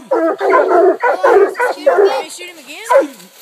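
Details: Pack of coonhounds (two Walkers, a black and tan, a bluetick) baying at a treed raccoon, with a run of dense overlapping chop barks ending in a long, wavering, rising and falling howl.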